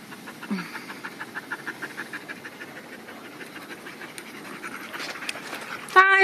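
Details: Dogs at the off-leash Magnuson Dog Park pant heavily after exercise at the end of the day, giving soft rhythmic breathy puffs in a quieter setting, ending with a brief high tonal sound.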